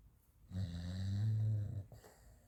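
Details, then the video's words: Raf the French Bulldog asleep, producing one drawn-out, deep rattling snore lasting over a second, swelling slightly in the middle, then fading to quiet breathing. "Французский бульдог Раф храпит и бегает во сне"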